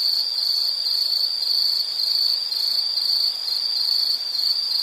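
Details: Insect chirping used as soothing nature sound, a constant high shrill tone with gentle rhythmic pulses throughout and faint upper harmonics.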